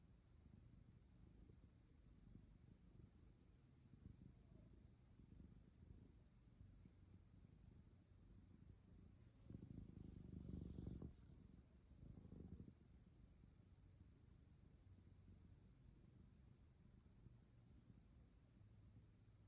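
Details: Sleepy black cat snuggled up close beside a person, purring softly in a steady low rumble throughout, with a brief louder rustle in the middle; otherwise quiet.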